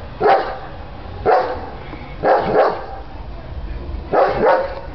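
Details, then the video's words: A female German Shepherd barks at the door, deep, gruff barks, single and doubled, about once a second. "German Shepherd Dog Barking"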